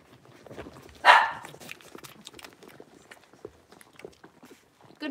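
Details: Blenheim Cavalier King Charles Spaniel puppies, a litter of five born at New Year's, moved into a larger indoor home pen; one sharp, loud bark rings out about a second in, followed by soft scuffling, pattering paws and faint clicks.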